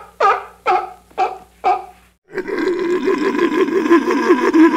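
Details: Sea lion on a beach gives four separate gruff barks. These are followed by a long, continuous, wavering bellow with rich harmonics and a rough, throaty quality.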